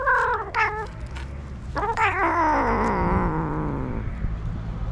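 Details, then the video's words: Stray tabby male cat making noises when touched: two short chirpy meows, then a long loud complaining yowl that wavers and slowly sinks in pitch, with low background rumble. "Stray Cat That Makes Interesting Sounds When TOUCHED"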